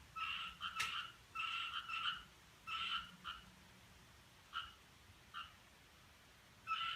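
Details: Possible frog heard on 7 July 2017 around 5:26, making short, two-toned, nasal croaking bursts in irregular clusters, several quick pulses together, then single notes spaced a second or more apart; quiet background.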